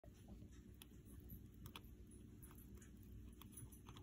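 A young fox squirrel chewing, with sharp crunching clicks over a low, steady rumble.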